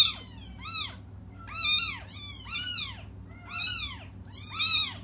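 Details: Crying cats awaiting their mother: a steady string of loud, high meows, about one per second, each bending up then down, over a soft background hum.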